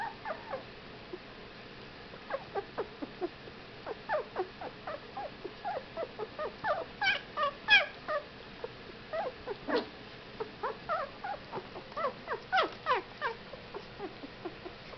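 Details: Whippet puppies, fifteen days old, giving short high squeaks and thin whimpers in scattered bursts, some sharply rising, spaced irregularly over a quiet hiss.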